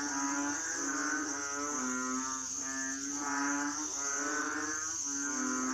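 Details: Chorus of Asian frogs: repeated nasal, moaning croaks with a droning, reedy tone, several callers overlapping roughly once a second, against a continuous high-pitched whine.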